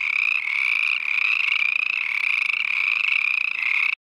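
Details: Along a trail by a pond near Mirror Lake Highway, Uinta-Wasatch-Cache National Forest, chorus frogs give high, rasping trills like a fingernail along a comb. The calls merge into a steady, slightly wavering buzz with brief breaks; any disturbance stops them calling.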